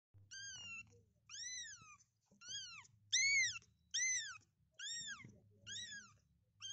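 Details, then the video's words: Kittens searching for their mother, giving high, clear meows that rise and fall in an arch, roughly one per second, about seven calls in a quiet indoor setting with a low steady hum. "kittens searching for their mother by doing meow meow"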